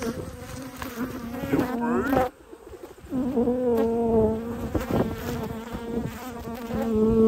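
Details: Honey bees humming during an autumn beekeeping inspection of twelve hives, where one colony had swarmed and raised a new queen; a steady low drone with a higher overtone runs throughout, dropping briefly midway, with a person's voice faintly present.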